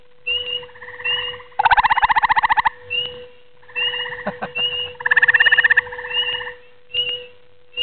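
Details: At night, a grey tree frog delivers bursts of rapid, evenly pulsed, musical trilling, each about a second long. Softer trills from other frogs fill the gaps, and a steady electrical hum runs underneath.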